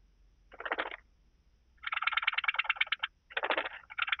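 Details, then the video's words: Blue-winged grasshopper recorded in Bernstein, Austria, on 2 August 2023: three bursts of dry, rapid ticking stridulation, a short one, a longer rattling phrase about a second long, then two more, with a quiet background. "Sphingonotus caerulans -- Blauflügelige Sandschrecke"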